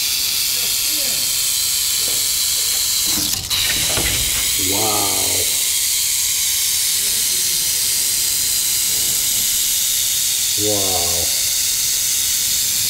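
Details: Western diamondback rattlesnake in Arizona, striking. A dense, steady hissing buzz of the rattle runs unbroken throughout, with a sharp click near three and a half seconds and brief human voices mid-clip and near the end.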